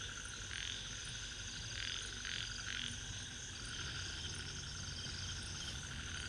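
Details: Ornate narrow-mouthed frogs (Microhyla ornata) at Inamauwa Tank, Dambulla, Central Province, Sri Lanka, give short, raspy, buzzing bursts over a steady humming chorus.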